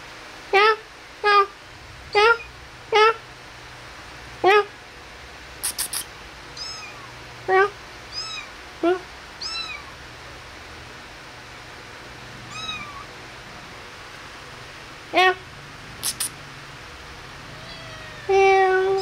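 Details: Kittens at play and feeding time give a string of short, high, thin meows, each with a bent, slightly falling pitch. About a dozen come at irregular gaps across the stretch, with a person speaking Vietnamese softly indoors.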